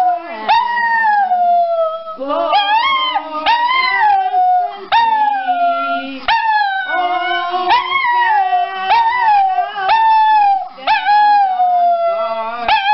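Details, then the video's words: Singing pet dog in a humorous compilation: repeated wavering howls about every second or two, each bending up then gliding down, with a lower steady tone underneath and brief gaps between phrases. "Funny Singing Dog Videos"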